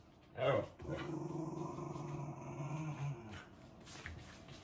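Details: Female Siberian husky pet in Japan, a talkative dog, making a sustained low grumbling growl-moan for about three seconds after a brief higher yelp, indoors.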